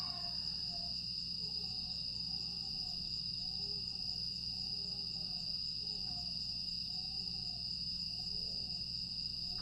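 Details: Night chorus of grass insects in Aewol on Jeju, recorded 25 August 2022: a continuous high shrill whine runs without pause, overlaid by a series of quiet, short lower arched notes.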